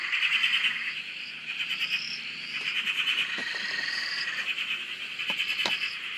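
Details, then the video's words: Australian frog chorus at a farm dam, taken from a shack: layered pulsed trills and upslurred whistles, loud rattling bursts recurring, a few sharp clicks near the end. "Frog Chorus- Australia"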